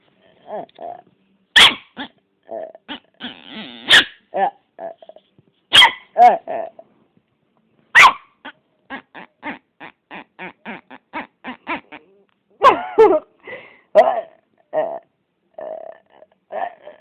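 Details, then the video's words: A Yorkshire Terrier making odd, freaky noises: short bursts of growling, whining yips and nasal squeals in irregular runs, some quick evenly spaced clusters, with quiet pauses between. "Freaky noise of a Yorkie"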